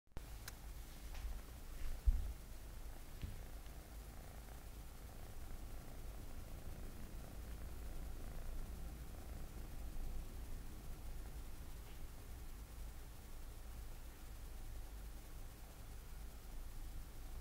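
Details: A Scottish Fold cat named Mugi purs with a deep, even, continuous rumble during a home pet-sitting visit in Yaizu, Shizuoka, Japan, on 15 September 2017. A few faint clicks and taps come through near the start.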